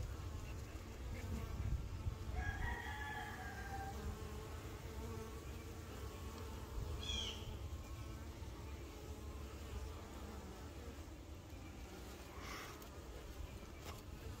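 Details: Working honey bees keep up a dense, low humming drone, while a rooster crows in the distance early on and brief higher chirps break through later.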